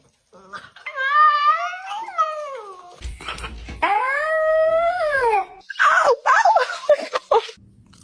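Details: Dog giving drawn-out yawns that turn into whiny, arching cries, one held for about a second and a half. A louder squeaking, yelping stretch follows indoors.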